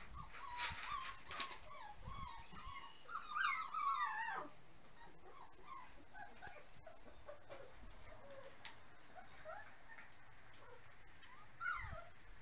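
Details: Litter of puppies close to six weeks old, filmed in 2014, several whining together in a busy burst of overlapping squeaky cries for about four seconds, then occasional single whimpers amid shuffling and bumps.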